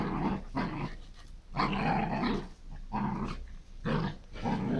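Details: Dog running wild in a garden, giving a series of five harsh, rumbling growl bursts, each about half a second long with short quiet gaps between them.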